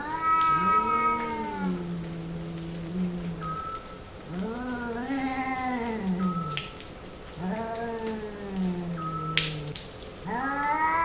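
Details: Female domestic cat in heat yowling in repeated drawn-out meows, each arching up then sagging lower, roughly every three seconds, with scattered clicks and taps behind.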